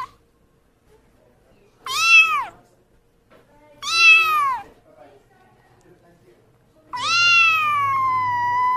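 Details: Cute kitten giving two short falling meows about two seconds apart, followed by a long sustained meow that holds steady for nearly two seconds.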